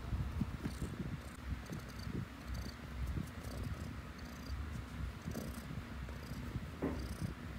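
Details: Low, grainy purring from a pet cat, a dense rumble with uneven pulses and a few soft clicks and rustles on top.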